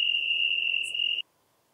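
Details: European tree cricket recorded near Venezia, Italy, on 2 September 2021: a single steady, pure trill held for about 1.2 seconds, then cut off into silence.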